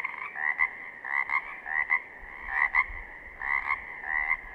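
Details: Pacific chorus frogs recorded in southern Oregon, several calling at once: raspy, creaking two-part croaks repeated about every second, with a faint low rumble beneath.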